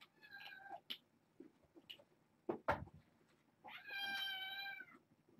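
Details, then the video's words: Young kittens from a litter of six born August 29th, settling at bedtime indoors; a brief meow early on, sharp clatters in the middle, then a long, loud, rising-and-falling harmonic kitten meow lasting over a second. "Babylon 5 Kittens - Bedtime"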